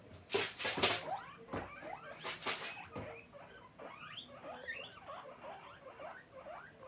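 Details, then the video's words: Guinea pig begging for food: loud knocking and rattling bursts open the recording, then the animal breaks into rapid, upward-sweeping squeaks repeated in quick succession. "Guinea pig asking for food"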